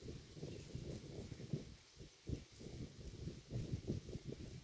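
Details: Roadside grazing cow heard at close range, its mouth producing dense, low, crunching chews and grass-tearing bites in quick irregular succession, with a short lull partway through.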